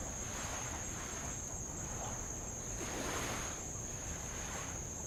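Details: Tongan insects on Avalau island, Kingdom of Tonga, heard by the shore with light waves lapping on old lava; a constant shrill tone holds steady over gentle, rolling wave noise.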